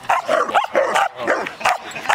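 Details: Dogs playing together at a dog park; a run of short, sharp, mid-pitched barks and yips comes in quick bursts about every quarter second, with excited overlapping voices.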